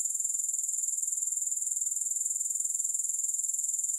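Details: Grasshoppers, with no music, give a steady, very high-pitched shrill chorus that pulses evenly about four times per second for the whole stretch. No other sounds are heard.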